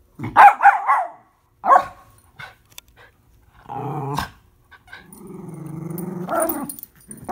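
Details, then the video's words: Miniature Schnauzer puppy and adult dog at tug of war; sharp barks open, a short bark follows, then a harmonic growl and a longer wavering growl close the stretch, with quiet gaps between. "Mini Schnauzer Puppy and Adult Dog playing Tug of War"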